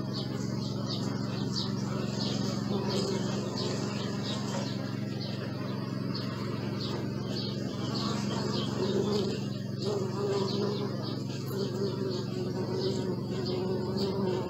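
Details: Bees buzzing as a steady low droning hum with slight wavering in pitch, continuous throughout, while many small birds chirp and twitter brightly in the background.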